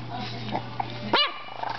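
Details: A 5-week-old French Bulldog puppy gives one brief, high, rising-then-falling yap against a steady electrical hum.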